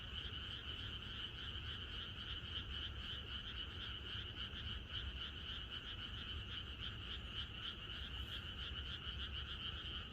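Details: Many frogs croaking together in a rural setting the night before rain, forming a continuous pulsing chorus that holds steady in volume, backed by low-pitched ambient hum.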